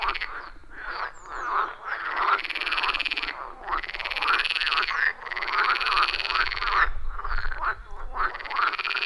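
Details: Wild frogs calling together at a quiet forest pond, captured with an iPhone 14 Pro and Shure MV88+ microphone; loud rhythmic croaking swells in waves every second or two, many voices overlapping, a soft low rumble underneath.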